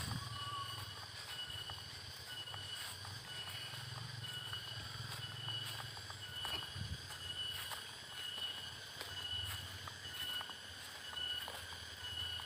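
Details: Cicadas in late afternoon in the countryside of Kampung Cibeureum, Sukamakmur, East Bogor, West Java, Indonesia, keep up a steady, high-pitched ringing drone, with footsteps and faint rustling below.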